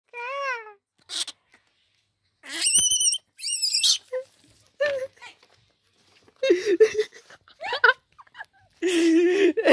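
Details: A baby rabbit screams, giving shrill, piercing squeals in short bursts, while a person talks softly nearby trying to calm it.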